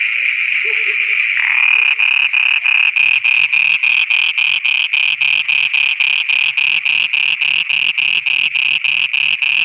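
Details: Night chorus of frogs in Pakistan: a steady high drone breaks into loud rhythmic pulsed croaks, roughly three and a half per second, with faint low murmuring sounds underneath.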